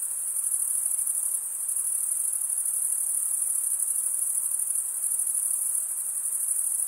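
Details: Night chorus of crickets in summer forest, many insects merging into one continuous shrill ringing tone that barely wavers, over a faint background hiss.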